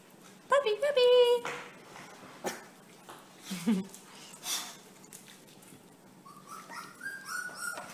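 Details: Four-week-old bully puppies from a Prankster x Oso litter, indoors in a small room: a burst of high, wavering whines opens the recording, then a short squeak, and thin rising whimpers return near the end while a person's voice speaks nearby.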